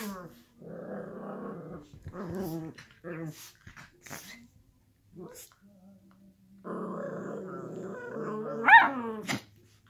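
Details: Playful growling from miniature schnauzers wrestling on a couch, with low rumbling stretches at the start and end, a steady low tone in between, and a sharp yelp-like peak near the close.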